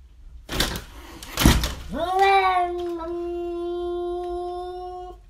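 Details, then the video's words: Trevor, a pet cat, fights in daylight while protecting the house: two short scuffling thumps, then a long, drawn-out tonal yowl that rises and holds steady for about three seconds before fading. "CRAZY CAT FIGHT"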